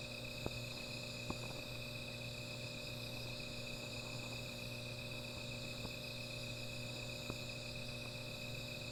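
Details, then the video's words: Insects calling at night around a small fire, a constant high-pitched ringing drone, with a low hum and several isolated sharp crackling clicks spaced a second or more apart. "Sound of Insects"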